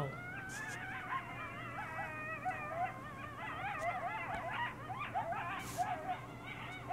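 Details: Coyote pack howling on Devil's Night, several voices overlapping in wavering, quavering howls and rapid yips that rise and fall, building into an excited chorus, with a faint steady low hum underneath.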